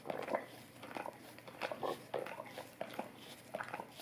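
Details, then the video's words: Golden Retriever licking an Orapup tongue cleaning brush; wet, smacking tongue strokes in irregular bursts, several quick laps clustered together with short quiet gaps between them. "Golden Retriever Licking Orapup Tongue Cleaning Brush"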